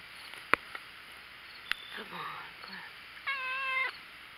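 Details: Black cat loving attention: soft taps and a low murmur give way to a level, sustained meow lasting under a second, rich in overtones, near the end.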